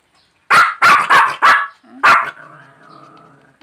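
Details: A Pomeranian and a Shih Tzu, small dogs, give a quick series of sharp, high, yappy barks, then fall silent.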